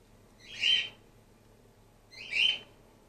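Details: Grey-headed flying-fox pup Gwickle, a female orphan-in-care on day two of support feeding, utters two evenly spaced shrill squeaks about two seconds apart against a quiet indoor background.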